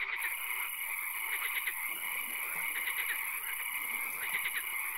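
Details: Night swamp frogs, with occasional rain: short rattling croak trains of several fast pulses repeat about once a second, layered over a steady high ringing drone and background hiss.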